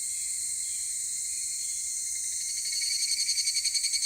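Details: Higurashi cicada calling at 16:14 on Monday 23 July 2018 in Takahashi City: a steady high insect hiss, then a loud rapid pulsed trill swelling in over the last second and a half.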